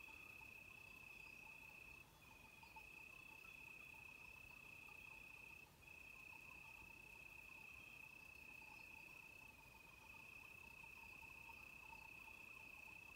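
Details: Cicadas at night outside a villa door: a steady, high, unbroken shrill that barely pauses, with faint tinkling sheep bells behind.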